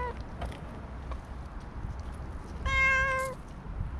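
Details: Stray cat on a walking path, petted while other cats approach: one clear, steady meow of about two-thirds of a second near the end, with rich harmonics, over low outdoor rumble and faint scattered clicks.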